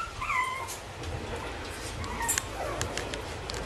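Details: Bichon Frisé puppies at a kennel give two short, high whimpering whines, the first rising and falling, a fainter one after a pause, over low background rumble.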